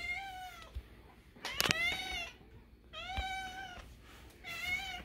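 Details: A fully grown male cat, fed early, gives a series of high, thin, kitten-like meows, each with a gently rising then falling pitch.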